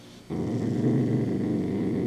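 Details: Low, steady rumbling growl from a Dachshund eating a crunchy homemade treat; it begins suddenly after a short pause and continues unbroken, with no other clear sounds.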